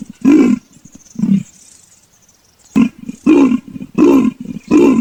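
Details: Leopard giving deep, hoarse, throaty grunts in a broken series: two strokes, a silent gap of over a second, then four rapid rasps close together.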